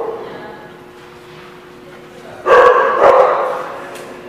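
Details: After two quiet seconds of faint hum, a dog recorded on 3/11/16 gives two sudden loud barks about half a second apart. The barks fade into low background noise.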